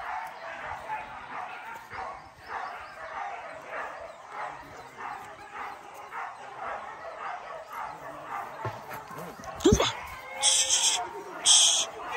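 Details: Max, a dog on his first hunting training outing at PORBI Legaran Sungai Pingai, gives a run of rough barks, roughly one a second, with voices talking and sharp high-pitched noises near the end.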